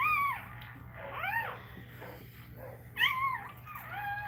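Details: Cane Corso crying during Cashmere's labour, indoors: clear, arching, high-pitched whines, about four distinct cries in a few seconds, each bending up and then down, over a low electrical hum.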